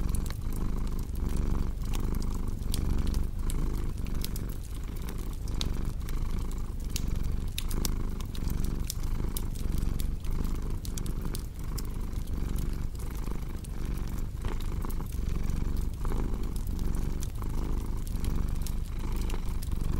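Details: Steady purring of a cat blended with a crackling fireplace for sleep, the low rumble cycling with each breath while dry crackles and snaps run continuously above it.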